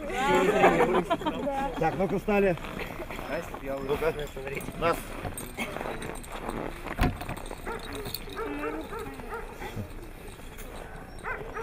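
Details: Siberian Husky in Nizhny Novgorod, Russia, on 3 February 2017, a competition day. Wavering, rising-and-falling harmonic yowls in the first two and a half seconds, then softer broken vocal sounds mixed with human voices and background noise.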